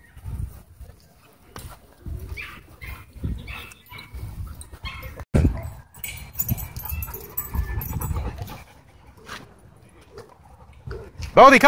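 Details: Dogfight at a dog park between a Doberman and a Belgian Malinois, with e-collar correction: repeated short, gruff low bursts, then a sharp wavering yelp at the very end, with people talking in the background.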